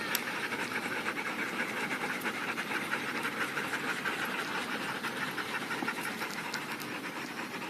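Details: Several dogs panting after a workout at the off-leash Magnuson Dog Park at day's end; rapid, breathy, rhythmic pants come about three per second, fairly loud and steady, over constant background noise.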